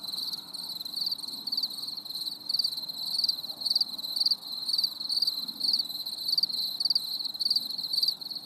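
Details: Crickets on a stormy summer evening giving bursts of high chirping roughly twice per second over a constant shrill trill background.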